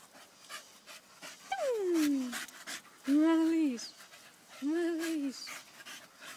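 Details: Staffordshire Bull Terriers, staffies, with one long whine sliding steadily downward, then two separate arched, howl-like cries that rise and fall, over faint background panting.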